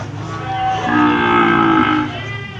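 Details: At Jonggol animal market, where cattle are being sold, a steady, sustained low moo holds for over a second, with background music and market noise underneath.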